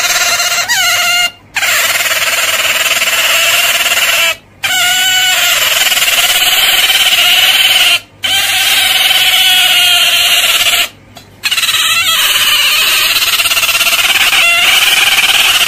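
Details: Otter producing sustained, harsh, high squeals with rich overtones, interrupted by short breaks every few seconds, some phrases starting with a quick dip in pitch.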